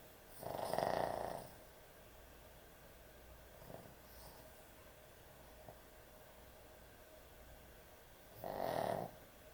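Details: A sleeping puppy that snores heavily at bedtime: two long, loud, rasping snores about eight seconds apart, each lasting roughly a second, with only faint breathing between them.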